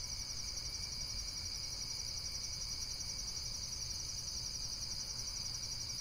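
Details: Insects keep up a steady, shrill chorus, a high pulsing buzz that never breaks, with a fainter whine beneath it and a low background rumble.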